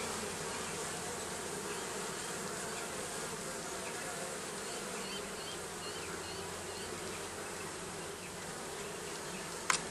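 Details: Bees living under the roofing give a steady, dense buzz that holds at one level throughout, with faint higher chirps scattered over it and a click at the very end.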